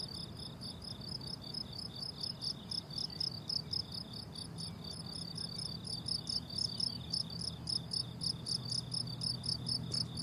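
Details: Summer meadow crickets in a dense chorus, rapid high chirps pulsing steadily about four times a second in stacked bands, over a faint low hum of background noise.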